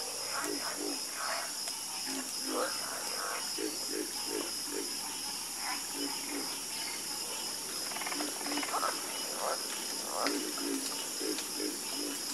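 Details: Frogs croaking in a night chorus: many short low croaks repeating in overlapping bursts, with a steady high insect-like hiss running underneath throughout.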